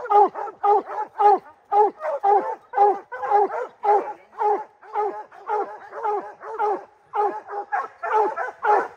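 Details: Rocky, a three-month-old puppy sired by Gray's Rack Em Willy out of Blackstone's Ram-Paige, bays at his first treed black bear: about twenty loud, ringing, slightly falling bays in quick, steady succession, roughly two each second.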